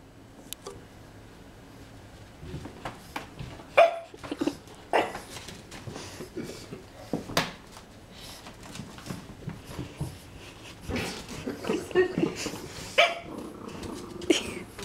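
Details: Romeo, a French Bulldog puppy, barks indoors at a magazine he is afraid of. Short, sharp yaps come in scattered bursts with brief pauses and grow denser in the second half, with faint room noise between them.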